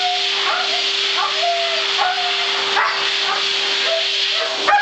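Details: A Siberian husky at the groomer's protests the blow-dryer with short, wavering whining howls over the dryer's steady roar and hum.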